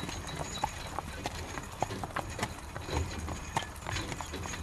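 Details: A horse pulls a carriage through rain. Distinct hoof knocks land roughly every half second amid dense rain patter and low rumbling.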